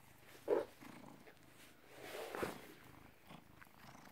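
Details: British Shorthair cat, born 18 August 2010, recorded on 16 November 2017 at 16:33; quiet low purring under a couple of short louder knocks or snuffles.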